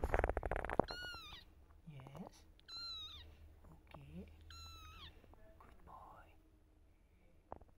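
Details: Pet mother cat Silky with her kittens and the father cat indoors. Several arched, harmonic meows alternate with short low dipping calls, following a burst of human speech at the start.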